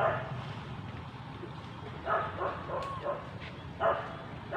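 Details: Baby monkey refusing its mother gives short, harmonic yelping cries, about five scattered bursts in under five seconds, each brief and mid-pitched, over a steady low engine-like rumble.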